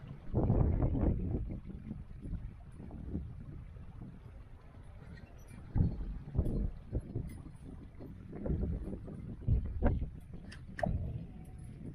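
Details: Outdoors near Ketchum, Idaho, gusty wind buffets the microphone in low rumbling waves, with faint distant voices and no animal sound.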